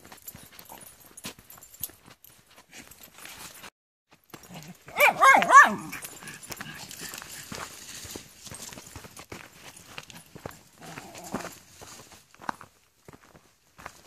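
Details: A dog barks during a walk at Comox Lake with four dogs, Rory, Floyd, Keira and Kijodi: one short, harmonic burst of barking midway, surrounded by crunching footsteps and rustling along the trail.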